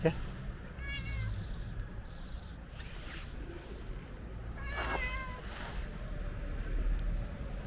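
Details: Friendly ginger stray cat asking for food outdoors; two short, high, slightly falling meows several seconds apart over steady low rumbling background noise and faint voices.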